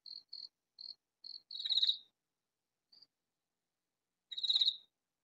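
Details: Katydid calling loudly in a vegetable garden: two harsh, raspy bursts about three seconds apart, each a rapid buzzing rattle, with softer short high chirps repeating between them in the quiet background.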